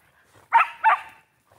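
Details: Shetland Sheepdog playing with a new flying squirrel toy, giving two sharp barks in quick succession, then quiet.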